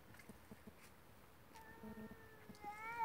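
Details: Two cats fighting: after faint scuffling, a drawn-out tonal yowl begins midway and holds steady, then rises and grows louder toward the end.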